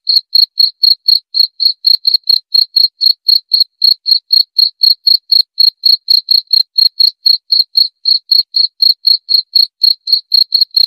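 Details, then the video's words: Steady cricket call, a relaxing sleep sound also said to drive away rats: sharp high chirps repeated roughly four times a second for the whole stretch, evenly spaced, against total silence. "Suara Jangkrik"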